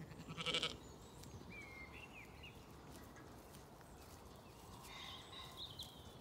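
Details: Zwartbles lambs on a regenerative farm in County Kilkenny, Ireland, calling while fed breakfast on an early summer morning; one short, loud, harsh bleat near the start, then thin whistled birdsong and faint rustling of the flock.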